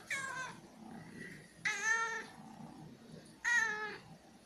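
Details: Domestic cat meowing three times, each a drawn-out, harmonic-rich, slightly falling meow about half a second long, spaced roughly every two seconds, with a faint shorter mew between the first two and quiet room background.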